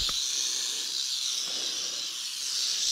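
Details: Large wild yellow timber rattlesnake crawling through grass in an overgrown field after being stepped on, one of several rattlesnakes found close together; a continuous dry, high-pitched buzzing rattle holds steady for the full three seconds, with no other clear sounds.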